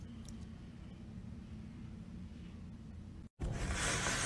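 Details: Low indoor hum, then after a brief dropout a burst of loud hissing noise, with no animal voice heard.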